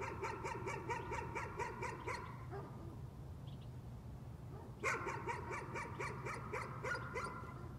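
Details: Nuisance barking from a dog: a quick run of sharp, repeated barks for about two seconds, a pause, then a second burst of rapid barking, over a steady low mechanical hum.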